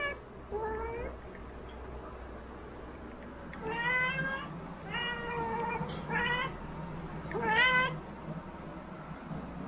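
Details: Several long, drawn-out meows from a domestic cat, rich in harmonics, some wavering up and down, spaced about a second apart with brief pauses, over a quiet steady hum.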